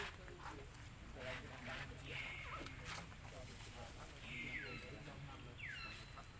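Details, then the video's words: Young monkey Lucie wails for milk the mother rejected: three or four high descending squeals, each falling sharply then trailing off, mixed with background chatter and outdoor noise. "OhGod ! Ve-ryP-ity Lucie Cr-y Lou-dly Se-isures An-gry Mom cos Mom R-ej-ected Milk I Lo-vely Monkey"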